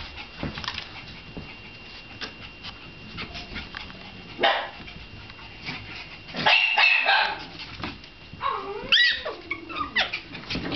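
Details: Shiba Inu household with a mother dog and two puppies; mostly quiet rustling, then a high, shrill yelping burst near the middle and a sliding, whiny yelp near the end, with scattered soft clicks and shuffles.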